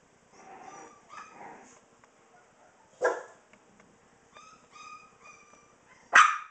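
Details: Bulldogge puppies of a Tikka/Gatlin litter, 4.5 weeks old, at play: scattered whiny yips and short squeaks with gaps, one sharp bark midway and a loud yelp at the close.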